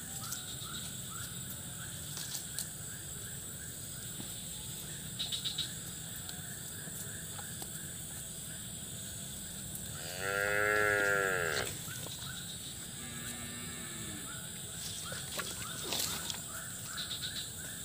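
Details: Cattle in a pen still muddy after a flood, where a cow calved the day before; one harmonic, drawn-out moo lasts about a second and a half near the end, over a steady background chorus of insects or frogs.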